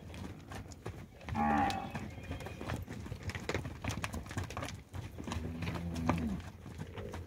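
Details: Heifers aged 22 to 24 months, part of a group of 154 in São José do Rio Preto, Brazil, lowing: a short, rising moo early on and a deeper drawn-out moo later, over constant clicking, shuffling and rustle.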